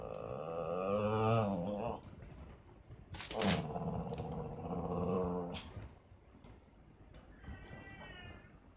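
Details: Cats fighting: drawn-out wavering yowls with stacked harmonics, a loud growling howl that rises and falls for about two seconds, a sharp hiss-like burst, then more moaning yowls fading to quieter wavering cries.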